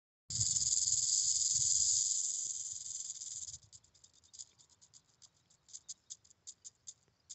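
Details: Prairie rattlesnake at Scotts Bluff National Monument, Nebraska, rattling: a continuous high, dry buzz holds steady for about three seconds, then breaks into short separate rattling bursts at irregular intervals.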